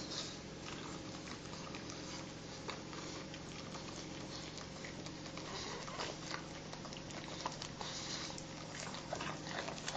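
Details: Two pugs share their morning grooming, licking each other at length indoors. Soft wet clicks and smacks patter on without pause, mixed with nasal snuffles over a constant low hum.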